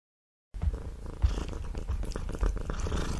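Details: Domestic cat eating meat, a steady low rumbling purr running under wet chewing and lip-smacking sounds, close and loud after a half-second of silence.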